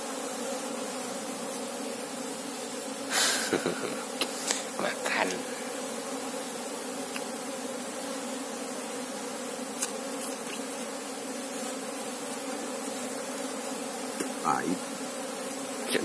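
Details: Continuous humming of an Asian honey bee colony during a search for the queen bee; the low, even buzz runs throughout, broken by bursts of human voices and clattering handling noises near the start and end.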